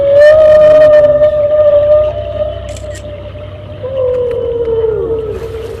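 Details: A whale's long, tonal underwater call, used to communicate with other whales: a steady moaning note that later dips and slides downward.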